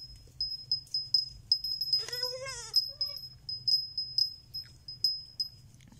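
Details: A baby goat gives one long, quavering bleat that wavers in pitch for almost a second, then a short clipped follow-up. A steady high ringing tone and tinkling, bell-like clinks continue throughout.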